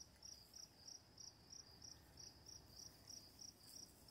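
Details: A cricket chirping at night gives crisp, high pulses at a steady pace of around three per second against a quiet background of running water.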